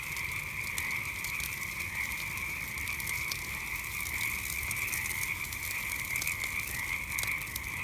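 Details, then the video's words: Frogs at night calling together in a dense continuous chorus, a steady high trill-like drone, with frequent sharp crackles and pops from a campfire scattered through it. "Relaxing Sounds of Frogs and Campfire at Night"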